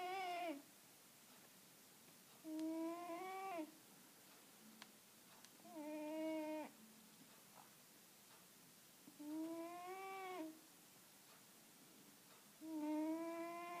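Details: Loud snoring from Pim, a Siamese cat: regular humming, harmonic breaths about a second long, slightly rising in pitch, repeated about every three seconds, with quiet faint breathing between them in a still room.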